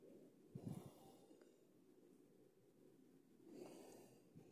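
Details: Horse at Agro Rações in Cajazeiras, Paraíba, giving short breathy snorts: a low rough burst near the start and a softer airy exhale later, over steady low background hum.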